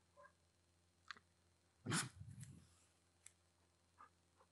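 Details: A Golden Retriever playing with his "tiger girl" gives a sharp huffing bark followed by a low, rumbling grumble, with faint higher squeaks around it.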